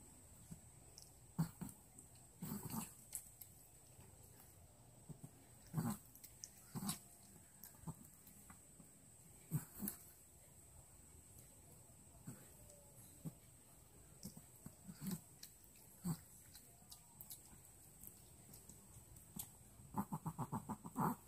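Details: Milky, a Pomeranian on a diet, eating an indoor dinner of boiled cabbage and dog food; brief low grunting growls recur every few seconds amid clicking chews and bowl knocks, with a denser burst near the end.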